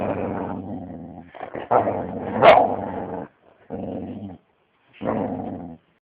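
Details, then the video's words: Six-and-a-half-month-old Siberian Husky growling angrily: deep, steady rumbling growls in three or four bouts separated by silences, with one sharp snapping bark near the middle. "angry dog"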